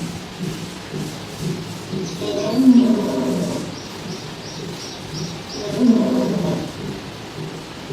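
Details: Lion roaring: two deep, rough, drawn-out roars about three seconds apart, each swelling and then fading, over a steady hiss like falling rain.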